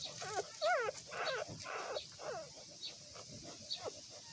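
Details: Several newborn puppies give high, bending whines and squeaks, one wavering cry standing out loudly near the start, then softer overlapping whimpers fading over the last seconds.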